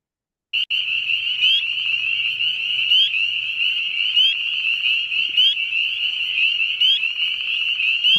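A chorus of spring peepers: high, piercing peeps that slide upward, massed into a steady ringing shrill.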